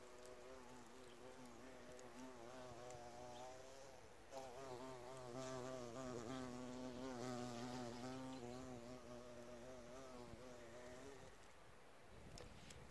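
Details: Bee buzzing around an insect hotel outdoors, recorded in 4K on phones: a sustained droning hum with wavering pitch, growing louder midway as it flies near, lasting about eleven seconds before stopping amid low outdoor noise.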